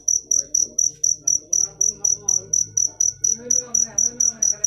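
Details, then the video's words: A cricket's shrill, tonal pulses come quickly and evenly, about four per second, forming a continuous ringing trill over a quiet, low background hum and faint distant voices. "Full suara Jangkrik manis. Suara merdu"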